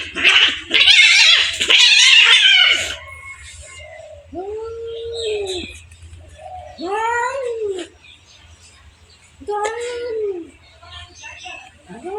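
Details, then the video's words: Two cats fighting: opens with a loud harsh scuffle of hissing and spitting, then quieter arched moaning growls spaced a few seconds apart. "Two cats fight"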